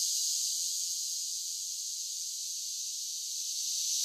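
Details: Summer cicadas singing in a steady, high-pitched hissing drone that holds unbroken throughout, with no other sounds present.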